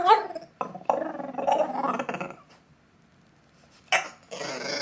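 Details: French Bulldog, a young male pet indoors, making strange howling noises to beg for McDonald's food after once stealing a fry; strained, wavering grunting howls in bursts over two seconds, a pause, then brief noisy snorts.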